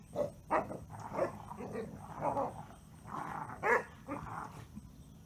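A Basset Hound gives short, deep barks and yaps in uneven bursts during play.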